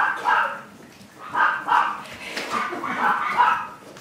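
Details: Chihuahua puppies giving soft, nasal yaps in small pairs and clusters, separated by brief pauses.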